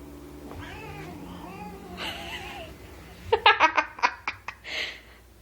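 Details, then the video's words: Domestic cats growling in disdain at a new kitten added to the household; drawn-out, wavering yowls rise and fall for about two seconds, followed by a burst of sharp taps and clicks. "growling at the kitten"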